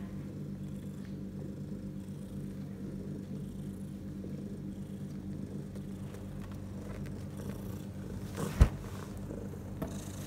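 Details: A strong, steady low purr from Bella, a house cat with her litter of four newborn kittens six hours old; the rumble pulses evenly, broken by a sharp knock near eight and a half seconds.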